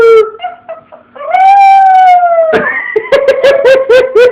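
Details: Phone recording of a pet dog that starts with short broken notes, swells into a sustained falling howl, then breaks into a quick series of about seven short yipping howls, roughly four per second.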